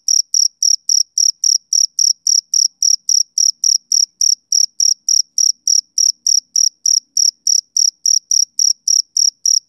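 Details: Male cricket chirping on a summer evening: short, clean, high-pitched pulses repeated steadily about three to four times per second, each chirp a brief bright trill, with no other sounds in the background.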